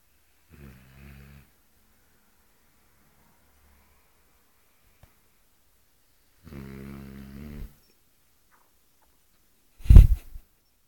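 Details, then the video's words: Eight-month-old female Cane Corso snoring indoors: two deep, rumbling, buzzy snores about six seconds apart, each lasting roughly a second, with quiet breathing between and a sharp loud snort near the end. "cane corso dame beim schnarchen wie ein holzfäller"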